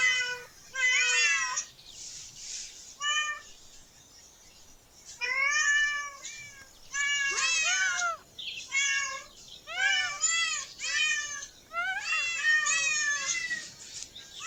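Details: Group of cats in a park meowing repeatedly, short bent cries in quick bursts with brief pauses, some higher and squeakier, mixed over about fifteen seconds with a quiet stretch in the middle.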